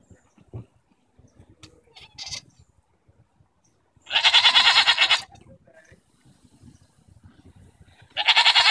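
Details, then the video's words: Arguing goats on June 24, 2014 give two loud, harsh bleats, each shaking with quick regular pulses; the first lasts about a second, the second begins near the end. Faint clicks and rustling come between them. "goats arguing"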